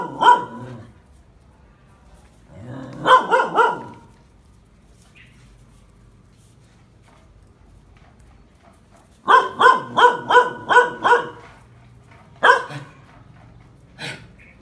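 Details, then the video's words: Phu Quoc Ridgeback dog in training to catch snakes, barking in bursts: a single bark, a short cluster near three seconds, then a rapid run of about six barks and two later barks, with quiet gaps between. "chó phú quốc tập bắt rắn"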